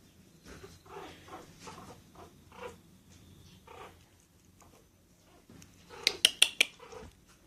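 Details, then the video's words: Pomeranian puppy named Hime, indoors, giving a series of short whimpering cries at uneven intervals, then a final cluster of sharper, louder yips with bright high overtones near the end. "ポメラニアン 仔犬 （ヒメ）"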